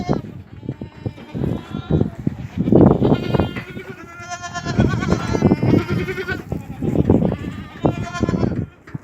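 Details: Goats on a goat farm in Ajmer, Rajasthan, bleat in wavering, nasal cries with human voices talking alongside.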